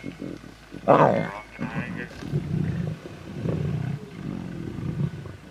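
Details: Lion cubs snarling and growling over a zebra carcass in Timbavati, competing for the little meat left. Deep, rumbling growls come in uneven bursts, with a louder snarl near the start and a man's voice briefly over them.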